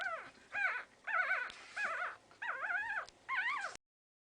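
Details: Week-old Pekingese puppies from Tallinn, Estonia: a run of six squealing whimpers, each a brief wavering rise and fall, roughly every half second, clear and close, ending abruptly in silence.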